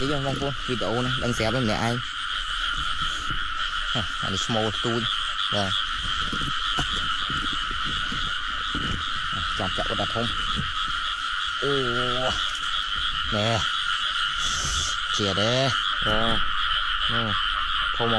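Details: Frogs calling in flooded rice fields during rainy weather while being caught by hand; rapid, throaty, stacked croaks repeat in quick bursts over a steady droning chorus, with splashing and a man talking and shouting.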